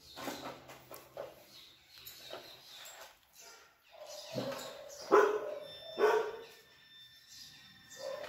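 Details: Rottweiler wanting to play, waiting for a game; quiet scuffling and a voice at first, then short, high, tonal yelps and whines in a cluster near the middle, with faint household noise.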